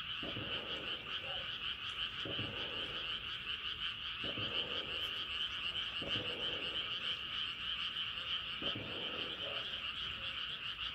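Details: Frogs calling at night under a rising moon: a dense, steady high trilling chorus runs throughout, with lower grating croaks bursting out roughly every two seconds over it.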